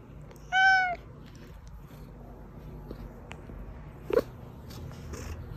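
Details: House cat meowing in a recording meant to draw hiding cats out: one short, bright, slightly arched meow near the start, followed by quiet room noise and a faint knock.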